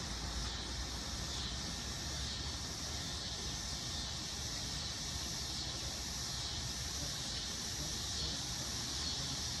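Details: A single dog-day cicada giving its mating call on an August afternoon in Lawrence, Kansas, after landing on a deck umbrella: a continuous loud, hissing buzz with slight pulsing swells, steady throughout.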